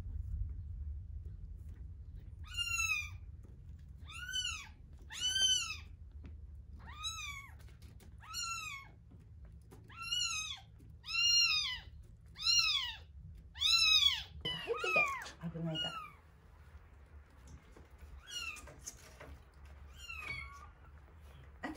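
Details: Two one-week-old kittens, Terra and Towa, calling during a feeding, indoors. High arched meows with stacked harmonics repeat about every second, then grow rougher and overlapping near the end; low room rumble beneath.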